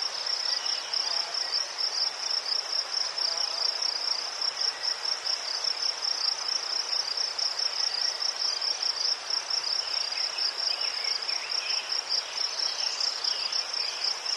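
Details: Crickets chirping in Ukraine, a long unbroken shrill pulsed chorus with slight rhythmic swells in loudness and faint background insect notes.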